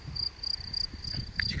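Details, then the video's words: Cricket chirping at a lakeside rest stop overlooking the Bicaz dam and Lake Izvorul Muntelui, Neamț, Romania; a steady high trilled chirp pulsing in short bursts about every quarter second, with low rumbling background noise. "greierașul ăsta se aude perfect"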